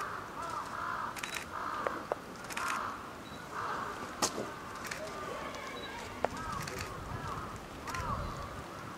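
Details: Lila, a nine-month-old female polar bear cub at Maruyama Zoo, Sapporo, Hokkaido, fussing, apparently hungry, beside her mother Lala on 2 October 2015 just after 11 a.m. in typhoon-driven rain and wind: wavering mid-pitched whining cries in bursts roughly every second, over steady storm noise.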